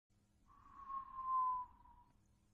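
A sleeping Redbone Coonhound gives a thin nasal whistle that swells, then slowly fades and drops.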